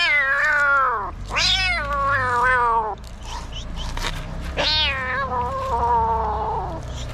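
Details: Angry kitten in Morocco fighting and refusing to be treated while its mother cat watches. Three loud, drawn-out wailing meows, each rising then sliding downward with rich harmonics, separated by short pauses, with faint low background rumble.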